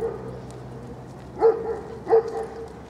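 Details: Two short, sharp barks about half a second apart from Velikiy Voin Admiral, a young male alabai or Central Asian Shepherd Dog, over a faint steady background hum.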